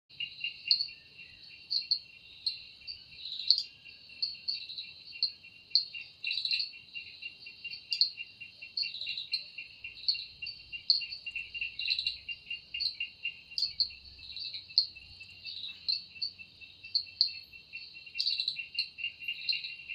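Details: Cicada singing in a forest in the evening: a steady, high, shrill buzz underlies rapid pulsed chirps that repeat about twice a second throughout, with no other clear sounds.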